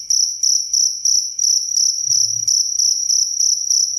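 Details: Clear repeated cricket chirps, each a short high buzzy burst, roughly three per second in an even rhythm, with a brief low rumble midway.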